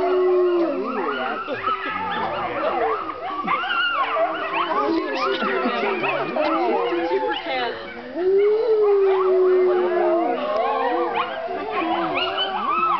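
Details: Wolves howling together at the Colorado Wolf and Wildlife Center in the middle of the day: many overlapping tonal howls, some steady and low, others wavering and yipping higher, a dense continuous chorus with one long level howl near the end.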